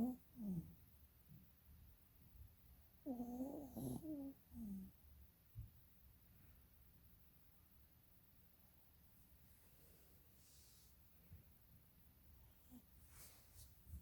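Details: A sleeping puppy, eyes rolling, gives a short snore at the start and a longer, wavering snore around three seconds in. These are rough, low, humming inhalations. Only soft breathing follows in a quiet room.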